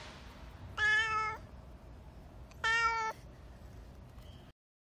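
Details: Expressive black street cat meowing while being fed; two loud, flat, harmonic-rich meows about half a second long, two seconds apart, over low steady background noise.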